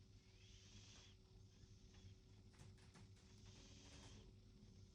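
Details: Sleeping cat snoring: soft breathy hisses, one long exhalation at the start and another near the end, about three seconds apart, over a steady low hum.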